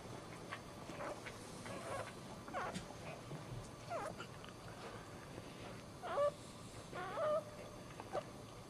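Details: Dog whimpering at home while giving birth standing up: short, faint squeaky whimpers scattered through the clip, the clearest two near the end, over a soft, steady room hiss.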